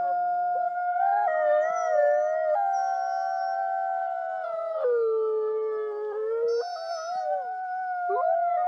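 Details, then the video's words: Several wolves howling together in a looped recording: overlapping long, steady tones that slide down and up in pitch, with layered harmonics, forming a continuous chorus with no pauses. "30 Minute Wolf Howling Looped"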